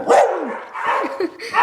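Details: Pet dog vocalizing on command, said to be saying "I love you"; loud, short howling yowls with sliding pitch, three or four drawn syllables over less than two seconds, a person's voice prompting nearby.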